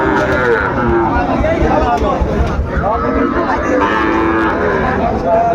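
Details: At Ambari market in Dinajpur, where Sahiwal bull calves are bought and sold early in the day on 27 February, repeated moos rise and sag through a dense background of market chatter and crowd noise.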